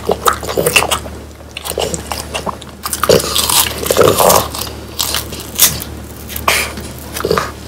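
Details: French Bulldogs Pang, Kun and Ppo eat whole quail that was hand-trimmed and dried until crisp, the bones making loud crunches; sharp bites and crackling chews come in irregular bursts, with a denser run of wet mastication midway.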